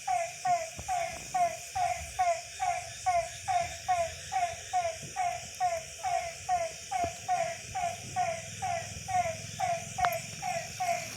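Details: Night chorus of frogs near a Tamil village home: evenly spaced, downward-gliding croaks roughly every second, with overlapping callers and a continuous high insect buzz in the background.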